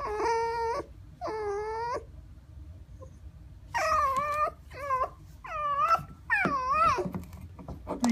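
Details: Red fox, described as pouting, giving a series of drawn-out, harmonic whines with wavering pitch. The later whines bend and rise, with short silent gaps between them, over a quiet background.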